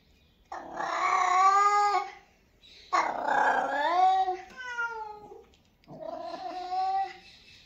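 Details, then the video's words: Cat meowing three times in a row: long, strained, nasal cries that bend upward then fall, the last one shorter and softer, with brief pauses between and no other sounds. "Cute Cat meows 🎤 | Cat voice 💞 | Cat meows sound effects 😺 | Cat meows 💓"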